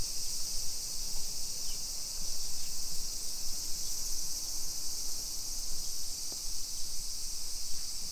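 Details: Cicadas singing on a summer afternoon, 2 PM, 28 July 2021, in suburban Nisshin, about 20 km from downtown Nagoya, Japan: continuous shrill buzzing wash held at one pitch, with heavy low walking rumble beneath and a faint click.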